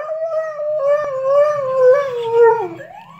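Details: Lucy the pet dog howls along with a siren in one long wavering, mid-pitched tone with rich overtones, holding steady before sliding downward and fading near the end.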